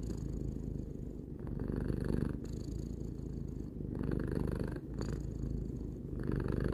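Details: Domestic cat, three years old, purring continuously. A low, throbbing rumble rises and falls with its breathing, roughly every two to three seconds, with a faint breathy rustle at each swell.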